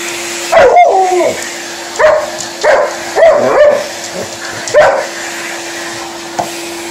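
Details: Liza, an Alaskan Malamute, vocalising at a running hoover at home: four short bursts of yowling, bark-like calls with a wavering, whine-like rise and fall, spaced about a second apart over the steady hum of the vacuum cleaner.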